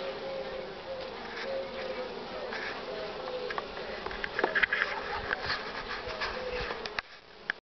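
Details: Western honey bees crowd at the hive entrance, returning heavily laden with pollen, on 24 March 2019 at 9:45 am, strong sun but cool air; a dense, steady buzz, many wingbeats blending into one continuous hum.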